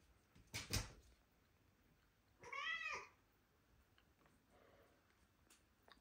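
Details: While pouncing after a laser dot inside, a British Shorthair cat born in May 2023 lets out a single arched meow rising then falling, after an earlier thump, with soft rustling around.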